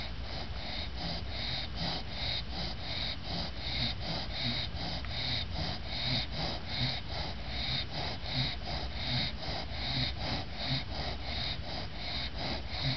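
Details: Snores of an exhausted female English bulldog, Lucy, just bathed and awake-eyed; rapid rasping snorts near eighty a minute, a sawing rhythm with wheezy overtones, unbroken for thirteen seconds.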